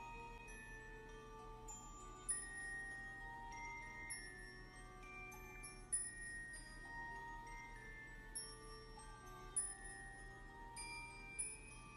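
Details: Soft glockenspiel and chime music plays quietly throughout, with bell-like notes struck every couple of seconds over a faint low hum.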